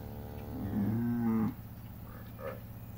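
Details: One-month-old calf on a farm in El Salvador, shown in a calf parade, gives a single low, drawn-out moo lasting about a second, steady then cut off, with people talking nearby.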